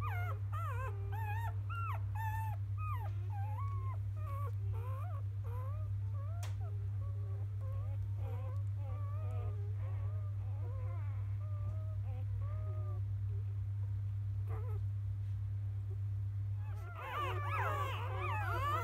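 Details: Newborn field-line Labrador Retriever puppies from biscuit, 2017 JFA Grand Champion, in the morning after nursing and toileting: many overlapping high, wavering whimpers and squeaks, ending in a burst of shriller squeals, over a steady low hum.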